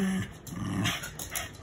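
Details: Domestic dog a little over three years old, newly adopted, playing with another dog that is teaching it to play; a short, low, rumbling growl lasting about a second and a half.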